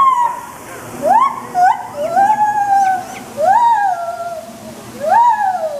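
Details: A white-handed gibbon calling loudly, recorded 2 November 2021: loud hooting notes that sweep up and then slide down, given in a series about every one to two seconds and rising in intensity.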